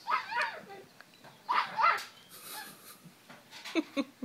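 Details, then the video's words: Male French Bulldog-Pug mix puppy, nine weeks old, barking while wriggling inside a pillow slip in a small room: two bursts of shrill little barks, then quieter yips mixed with human voices and laughter. "Frenchie-Pug 9 week old puppy barking"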